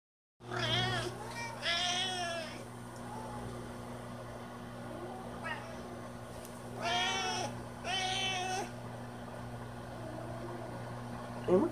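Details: Domestic cat giving several loud, drawn-out meows, the first pair arching up then down, another pair after a pause, over a steady low electrical hum; a short sharp sound near the end.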